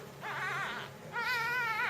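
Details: Jungle cat kitten during feeding, giving two drawn-out, wavering mews with rich harmonics; the first dips and rises, the second is steadier and louder, with faint room noise beneath.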